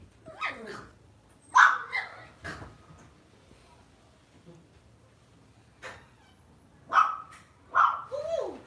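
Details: Lhasa Apso kept as a pet at home gives short, sharp barks in scattered bursts, a few sliding into whiny falling tones, with quiet gaps of a second or more between them.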